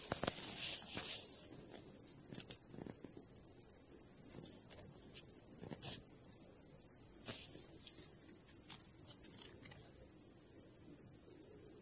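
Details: A grasshopper sitting in grass, recorded 18 August 2017, stridulates in a steady, high, hissing buzz that runs without a break.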